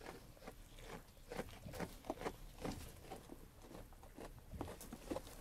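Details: Sheep munching on food: rapid, irregular crunchy bites and grinding chews following one another closely, set against a quiet low hum.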